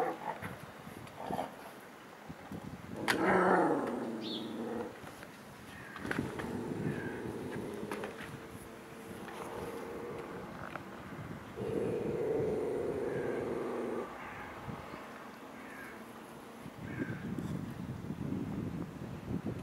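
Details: A dog growls at another dog behind a fence: a sharp bark, then long, low rumbling growls, after which the two dogs mark and bark at each other.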